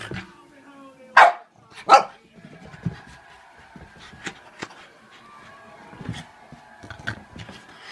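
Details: Frightened French Bulldog reacting to a toy clown, letting out two quick, loud barks less than a second apart, then falling quiet under soft human speech and faint background tones.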